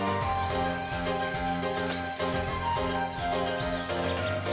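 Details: Steady instrumental music with layered sustained tones and a plucked, harpsichord-like texture, and no animal sounds.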